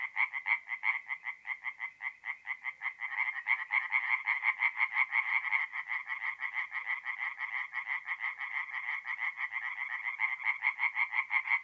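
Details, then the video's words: Mid-April night at a north-east Italian forest pond, where tree frogs keep up rapid, rhythmic rasping croaks that thicken into overlapping voices after a few seconds. "relaxing forest pond by night with singing tree frogs"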